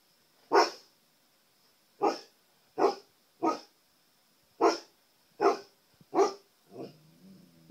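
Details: Male pet husky indoors barking at his own reflection in a TV: seven loud, sharp barks at uneven intervals, ending in a softer whiny growl, with a faint constant high electronic whine behind.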